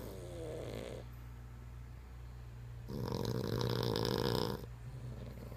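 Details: Dog named Spud snoring, with a quiet low rumble, then a loud, harsh, raspy snore lasting nearly two seconds before fading back to soft breathing and a steady background hum.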